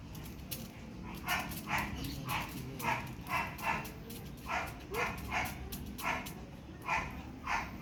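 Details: Pomeranian during a photo shoot at Parkhomes, Muntinlupa, barking steadily: a run of about a dozen short, bright yaps spaced roughly half a second apart, over a low background murmur.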